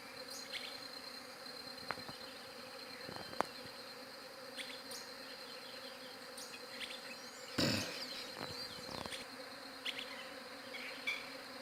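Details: Droning buzz of bees on a Galaxy J7 Prime 2 recording, a constant humming bed joined by bird chirps, several sharp clicks and a loud rustling burst about two-thirds of the way through.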